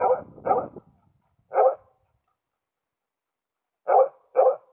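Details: Karelian Bear Dog, a male filmed in June 2016 watching other animals in the surrounding nature, barks sharply: two quick barks, a single one, a pause of two seconds, then another pair, in a quiet setting.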